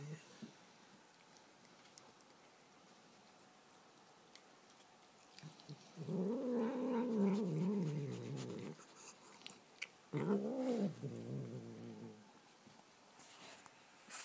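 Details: Bamboo, a male pet cat, eating and nibbling indoors, voices low, wavering, grumbling murmurs in two bouts, one about three seconds long and a shorter one after a brief pause, against quiet room noise.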